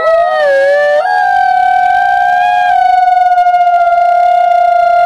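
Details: Wolf howling: a long, smooth, sustained tone that dips and wavers briefly at the start, then holds steady and even for several seconds without a break.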